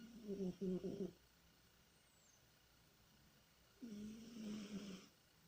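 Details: Sleeping house cat Tihon, dreaming, gives a choppy stuttered snore followed by a longer buzzing one after a silent gap, low nasal rasp with airy breath noise, indoors.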